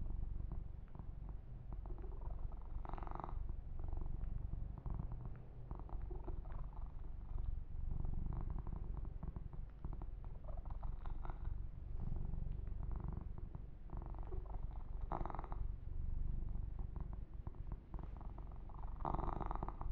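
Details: Continuous deep purr from male kitten Yumak under massage and fur grooming, a rolling low rumble at about four pulses per second lasting the whole stretch, punctuated by several brief brushy strokes and rustles.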